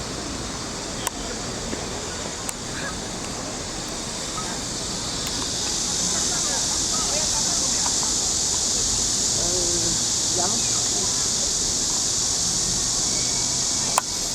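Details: Cicadas calling from trees by the lake of Huangzhou: a steady, dense hiss fills the high range throughout and swells slightly after six seconds, with faint voices and a few clicks beneath.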